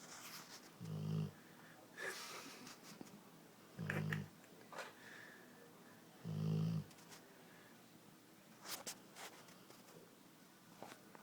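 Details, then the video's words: Dogue de Bordeaux asleep indoors, giving three short low snorting snores a few seconds apart, followed by softer irregular breathing and faint clicks and rustles in a quiet room. "Snoring Dog"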